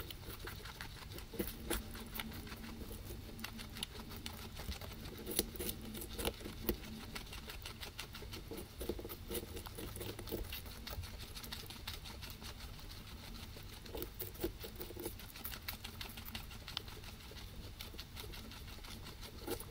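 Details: Two guinea pigs munching grass, taken with a ZYLIA ZM-1 microphone array in binaural 3D sound; a continuous rapid patter of crisp chewing clicks, occasionally louder bites, runs over a steady low hum.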